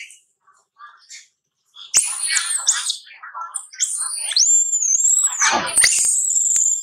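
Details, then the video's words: Baby monkey crying while playing: after a second of soft, scattered noises, loud shrill whistled cries set in, sliding high and bending down, several overlapping and held, with one sharp dip near the end. "Baby Monkey Cute playing and crying"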